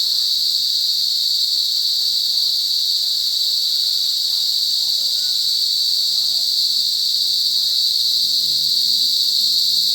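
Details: Cicadas in a forest drone in a loud, unbroken, high-pitched buzz that holds steady throughout.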